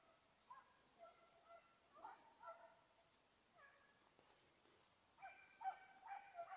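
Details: Petit Basset Griffon Vendéen on the trail of a rabbit, 05/10/2014: scattered high, ringing yelps come in short bursts separated by quiet gaps, with a louder cluster of overlapping cries near the end.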